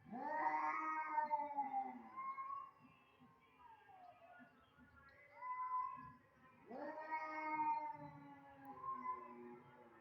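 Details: Two cats that dislike each other meet and yowl: loud, strained, wavering caterwauls in bursts of two to three seconds, separated by brief lower growling moans, with a second strong wail near seven seconds.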